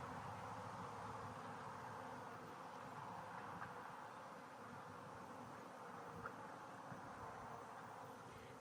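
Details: Louder, close steady buzzing of honey bees in a hive split right after a new queen flew out of her cage on release; the hum stays dense and continuous, with faint clicks now and then.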